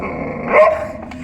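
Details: Young Sivas Kangal dog with a bone letting out a single short, sharp bark that rises and briefly holds its tone, over quiet room sound.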